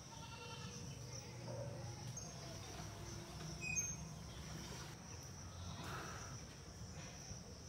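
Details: Indian bullfrogs (Hoplobatrachus tigerinus) in a village pond during monsoon breeding season, males yellow with two blue vocal sacs seeking females, give loud, nasal, bleating croaks over a steady high insect whine.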